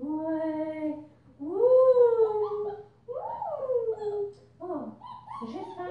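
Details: A 5-week-old female German Shepherd puppy with a purple collar, from Ibon Jipo-Me and Witch von Wendelin, howls in long, arching tones, followed by quicker wavering yelps at the end.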